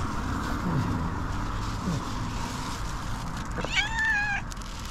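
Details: Tuxedo cat lying down and talking to its owner utters one clear, tonal meow that rises and then holds steady near the end, over a constant low hum.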